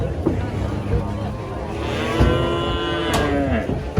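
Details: Giant female cow raging while being loaded beneath a tree called haunted, giving one drawn-out moo that starts after a noisy stretch and slowly slides downward, partly masked by rumbling, clattering handling noise.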